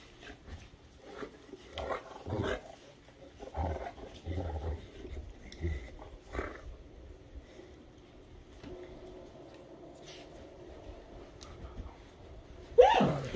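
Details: Great Danes Rhapsody and The Heartbreaker during morning playtime: low, rumbling growls come in short bursts through the first five seconds, then a quieter stretch, and a sudden loud burst at the end.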